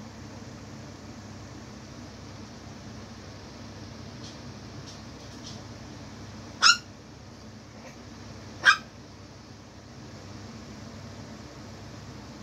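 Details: Chihuahua puppy at play with a Jack hat from Nightmare Before Christmas: two abrupt, shrill little yaps two seconds apart after faint soft squeaks, set against steady low indoor background noise.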